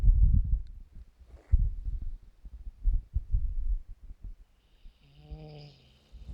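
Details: A tired dog named Bos, filmed in 2017, snores while asleep: low rumbling breaths in irregular bursts, with a brief voiced murmur near the end.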